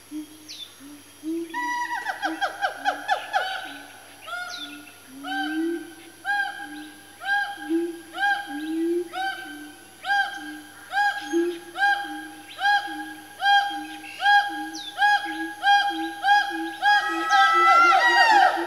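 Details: A family of four Siamangs, swinging around, give loud, repeated whooping hoots that build steadily in pace and intensity into a frenzy.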